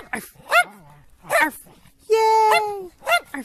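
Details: Playful dogs barking for fun: short yelping barks, with a long steady high tone held in the middle.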